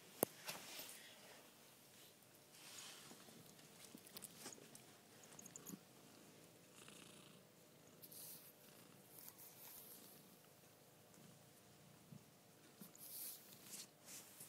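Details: Two domestic cats, a Chartreux and a Persian Chinchilla, at home; a quiet, continuous rhythmic purr throbs on and off, mixed with bursts of hissy rustling and handling noise.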